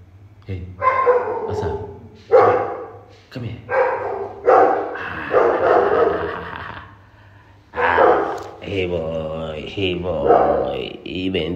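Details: Pet poodle barking repeatedly in an irregular run of short gruff yaps, some close together, later mixed with a person's speech.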